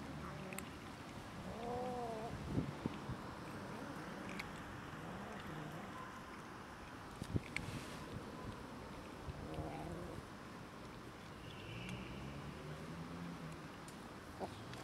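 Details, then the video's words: Cats and a kitten squabbling over food: low wavering yowls and moaning growls come and go throughout, with a brief higher yowl early on, a few sharp clicks and thumps, and constant low background rumble. "Cats and kitten quarrelling over food"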